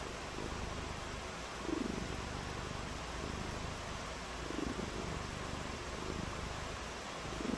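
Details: Cats at play in the rain, one purring: low rumbling pulses swell and fade roughly every three seconds, partly masked by continuous hissing background noise.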